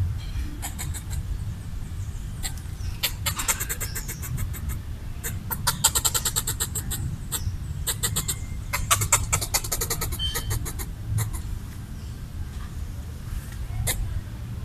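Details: Red squirrel chattering territorially while eating coconut bits left out for it, trying to scare off a person; rapid clicking bursts of chatter come in repeated runs over a steady low rumble.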